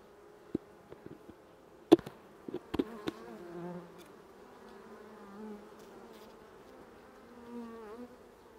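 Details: Honey bees during a hive inspection after a second spraying with 15% lactic acid, 21 July 2019: a steady low droning hum, with sharp clicks and knocks of frames being handled and a brief rise in buzzing near the end.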